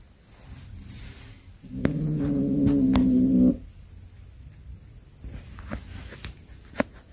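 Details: House cat with a snake it caught, letting out one sustained low yowling growl lasting close to two seconds, followed by soft indoor shuffling and an occasional tap.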